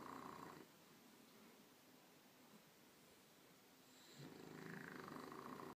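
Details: Bulldog asleep, giving a rough snoring breath at the start and another building near the end, separated by a quiet gap of about three and a half seconds.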